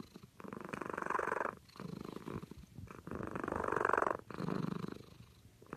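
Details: A cat asleep and snoring, each breath a rough, fluttering rasp about a second long, swelling and fading in a steady rhythm with short quiet gaps between.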